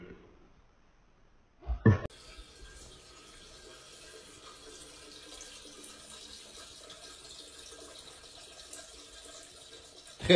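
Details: Near silence, then a sharp clatter, followed by a tap running steadily into a sink in a small room, and no animal voice.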